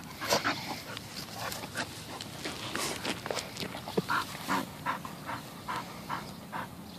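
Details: Bull Terriers, rescue dogs: Peyton, a 9-month-old puppy, and Quigley, about 11 years old, playing and rolling indoors. Scattered breathy panting bursts, with a few short, higher whimper-like notes near the middle.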